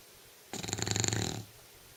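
An English Bulldog gives one long, rattling snore with a fluttering, raspy texture.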